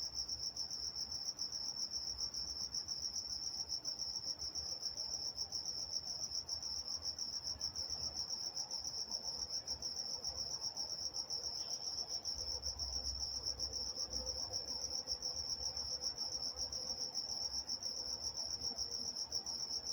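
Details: Walnut, California crickets at night giving an unbroken high-pitched trill, nearly continuous, with a faint low rumble beneath and a brief soft higher note midway.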